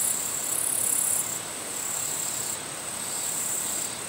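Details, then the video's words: Japanese katydid bush-crickets in their natural habitat, shown for territorial behaviour: continuous high, sizzling insect buzz in long stretches lasting one to two seconds, shifting in intensity, over a steady broad background hiss. "Territorial Japan Katydid Bush-Crickets"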